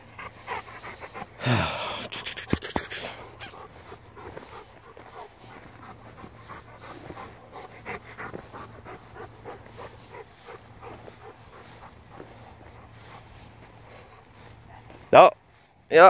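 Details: Pet Rottweiler panting on a daily walk through a field: steady breathy puffs at about 72 per minute for most of the clip, broken by a loud rustling burst near the start and sharp handling noises at the end.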